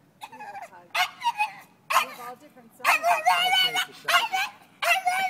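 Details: Martina, a dog on a Sunday walk through Old City, throws a tantrum after seeing horse-drawn carriage horses a block away; high whining yips and barks come in bursts about once a second, with a person's voice nearby.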